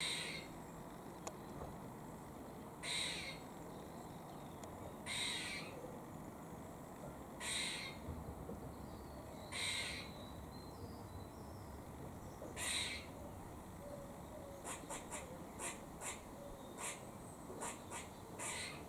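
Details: A squirrel in Cambridge, UK, on 17 October 2020 gives harsh, raspy warning chucks, spaced out at first, then quicker.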